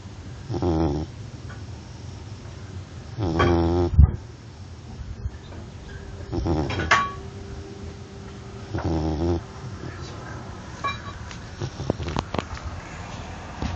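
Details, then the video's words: Labrador Retriever snoring while asleep indoors: low, rasping rumbles that rise and fade about every three seconds in an uneven rhythm, over a steady background hiss with scattered small clicks. "Как храпит собака\ joke. As snoring dog (Лабрадор)"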